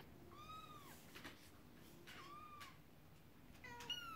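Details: Indoor domestic cats, a mother cat upset and kittens playing with a horse-drawn carriage toy; three soft, thin meows, each gently falling, heard over background hiss and faint clicks.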